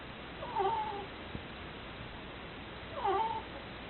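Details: Ziggy, a pet ferret, asleep and snoring: two faint, nasal whistling squeaks about two and a half seconds apart, each rising then falling, over a steady background hiss.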